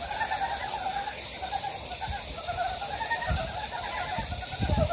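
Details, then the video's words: In a mountain stream valley at Gyejoksan, Daedeok-gu, Daejeon, Korea, a frog chorus keeps up steady pulsed croaking, interrupted by a few dull low thumps toward the end. "계족산 계곡에 자연의 개구리 울음소리"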